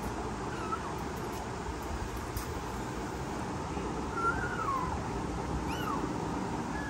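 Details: Frightened newborn kittens, born 15 September 2022, give faint, thin, high mews, a few short arching cries rising and falling in pitch near the end, set against a steady broadband hum.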